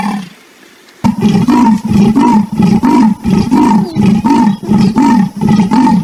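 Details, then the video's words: After a second of quiet, a leopard bursts into deep, rough rasping grunts repeated roughly every two-thirds of a second, each one throaty and buzzy, continuing evenly to the end. "the sound of leopards"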